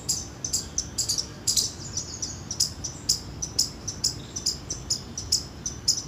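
An Indian palm squirrel gives sharp, high chirps in a quick, uneven string, two or three each second.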